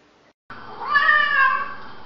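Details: Cat giving a single drawn-out meow, rising then gently falling in pitch over about one second, strong and clear, recorded indoors with a faint hum behind.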